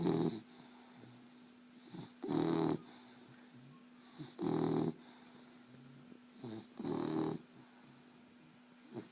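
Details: Beau, a pet dog, snores in long rough bursts lasting about half a second, spaced around two seconds apart, some louder and some softer, over a faint constant hum.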